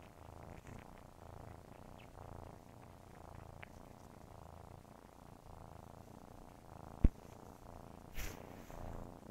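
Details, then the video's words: Kittens purring while nursing, a steady low rumble pulsing in breaths about once a second, with soft suckling clicks, a sharp tap near the end and a brief rustle after it. "Nursing kitten ASMR| Purring sounds"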